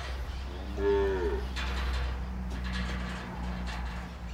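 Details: Bull in El Salvador, among bulls sired by Basao FIV, Sardo Negro and half-blood stock: one brief, mid-pitched moo, then a steady low engine-like hum and faint voices.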